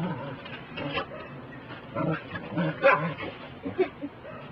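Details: A Pembroke Welsh Corgi gives short, sharp barks in quick bursts at a broom during sweeping, with a voice speaking nearby.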